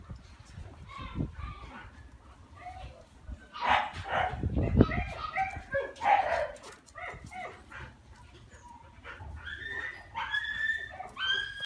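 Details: Male Shiba Inu giving high, thin whines and short yips in uneven bursts, some rising sharply, between quieter pauses, with low background rumble and what may be human voices nearby.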